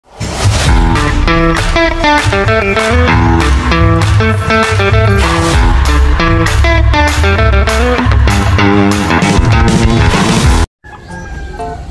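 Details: Guitar-led rock music plays steadily for about eleven seconds, then briefly cuts to silence before a faint sound resumes.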